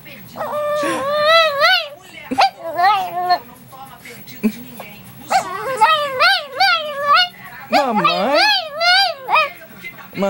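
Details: A "talking" dog in a comic compilation answers a person repeatedly saying "mamãe" with a series of wavering, yodel-like howls. Each one bends up and down in pitch, coming in bursts of about one to two seconds with pauses and human speech between.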